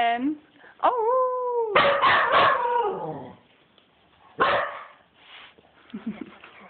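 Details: Dog in a wild playful frenzy gives a brief yelp, then a steady tonal howl running into a burst of rough, rapid barks, a later harsh bark, and soft whines at the end.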